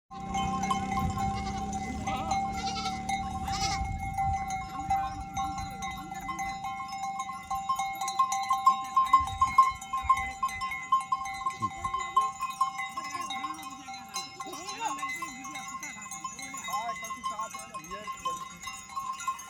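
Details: Goat herd on the move in a desert village setting, several animals giving wavering, quavering bleats, mostly in the middle of the stretch, over steady sustained ringing tones that may be music or bells.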